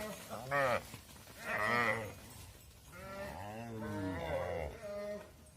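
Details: Mother cows filing into a farm barn with their calves left outside call out in long, harmonic moos, several drawn-out bawls overlapping and wavering in pitch, loud and close.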